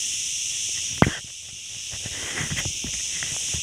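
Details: Forest crickets near Ghafsai in Taounate province keep up a steady shrill high hum; a sharp knock breaks in around the first second, followed by scattered soft footfall-like taps.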